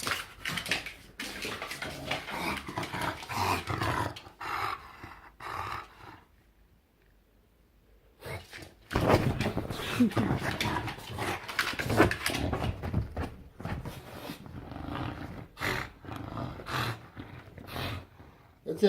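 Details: Bulldog kept as a pet, grunting and grumbling in rough, noisy bursts with a quiet pause midway, then more growly snorting as a person speaks soothingly to it.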